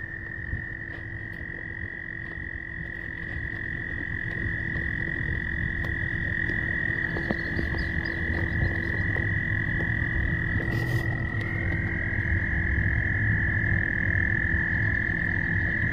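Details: Courting frogs call in a dense chorus: a continuous high, even trill that slides slightly upward near the end, over a low rapid croaking pulse and a steady hum.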